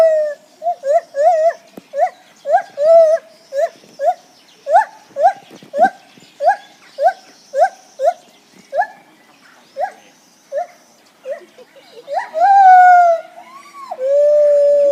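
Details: Lar gibbon. A lar gibbon calls with a quick run of clear, tonal hoots, repeated about twice a second. The series ends in longer, rising and falling wails with a pure, ringing quality.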